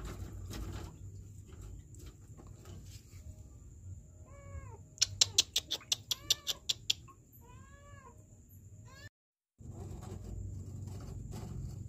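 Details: Kitten trapped in a sewer in Kenya mewing: several short arched meows around the middle, with a burst of sharp clicks or taps and steady low rumbling background noise, then a brief dropout.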